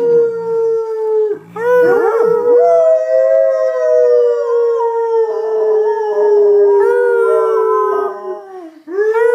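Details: Pet Labrador Retriever singing along to loud music, giving a long steady howl that holds level for several seconds, broken by a short yip-like interruption, then continuing with wavering overtones before fading and starting again.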